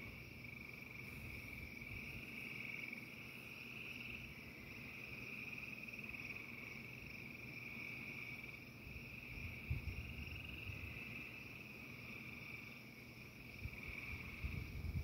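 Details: A dense frog chorus keeps up a steady, high trilling drone during a thunderstorm, with low rumbles of thunder beneath.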